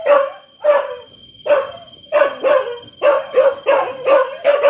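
A dog gives a run of short, sharp barks, each a harsh mid-pitched burst. They come roughly every half second to second, some paired closely together, with a faint steady whine in the background.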